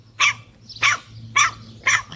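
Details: American Bully puppies, pocket and extreme types, in Romania: four short, sharp, bright barks spaced about half a second apart, with a steady low electrical hum underneath.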